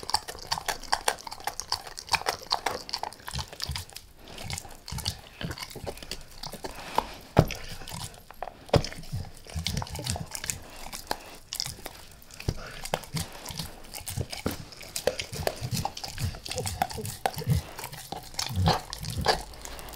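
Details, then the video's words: Max the dog gnawing a beef rib indoors, lightly at first and then all in: dense wet chewing, crunching bites and licking, with sharp cracks scattered irregularly throughout and no talking. "Max Eats | Beef Rib | ASMR DOG EATING"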